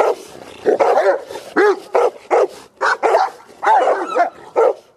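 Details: Cane Corso from a family breeding setting giving a rapid series of loud, harmonic barks, some with a whining rising-falling tone, closely spaced over five seconds.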